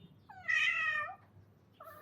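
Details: A visiting male domestic cat with a strange-sounding voice, come to eat food and seeking a mate with a spayed female, gives one drawn-out, wavering meow with strong harmonics, then the start of a second call.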